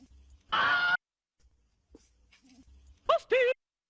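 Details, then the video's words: Fox giving weird noises: an early drawn-out tonal moan, then near the end two quick, high, wavering yelps, the second bending down at its close, with soft background rustling. "weird fox makes weird noises"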